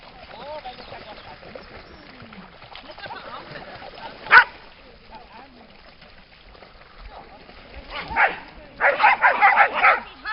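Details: Dogs by the lake at Lida Nature Reserve on a summer day: one sharp bark midway, then a quick run of loud, harsh barks near the end, over a low murmur of background sound.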